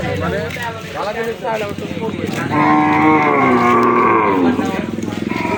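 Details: At Postogola's night cattle market in Old Dhaka, 2025, a steady, drawn-out moo of about two seconds rises out of loud crowd chatter, with voices before it and engine noise continuing afterward.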